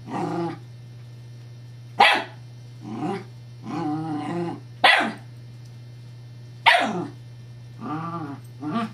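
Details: Scottish Terrier Evangeline fussing at her teething pacifier toy: sharp barks alternate with drawn-out tonal growls and whiny grumbles, about one burst every second or so, irregular in rhythm, over a steady electrical hum.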